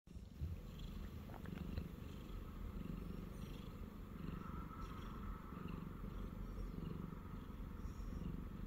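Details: Siamese cat named Shamue purring steadily while lying on a person's belly indoors; low rumbling purr with pulsing texture throughout, faint rustling at the start and no other voices.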